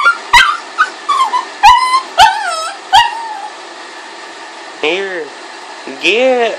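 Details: Boston Terrier and Pug mix, known as a Bug, vocalizing during play: a few sharp, high yips in the first three seconds, then two drawn-out, arching whines near the end, over a quiet indoor background.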